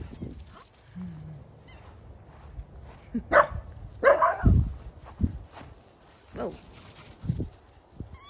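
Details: Charlie, the barker among three Miniature Dachshunds chasing balls from a basket outdoors, gives a few sharp, short barks amid rustling and thumps.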